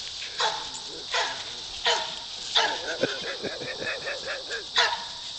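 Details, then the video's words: Goat-herding Poodle JJ barks about once a second in clear, ringing yaps, with a wavering lower sound in the middle and a steady background hiss. "Goat Herding Poodle"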